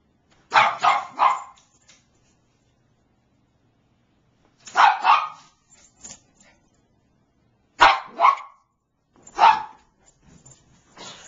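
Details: Begging for her squeaky toy, the Bichon Frise Niqqi lets out bursts of two or three rapid barks, then pauses several seconds before the next short volley. The barks are bright and snappy, and the room is otherwise quiet.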